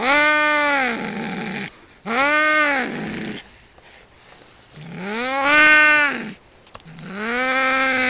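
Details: Fighting cats trade long, wavering yowls, four drawn-out wails that arch up and down in pitch, a couple trailing off into a low, rough growling tail between cries.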